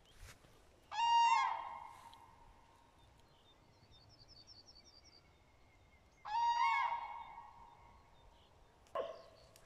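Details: Out on a walk, a dachshund lets out two long, even whines with a slight wavering at the end, about five seconds apart, followed by a sharp click, against quiet outdoor noise.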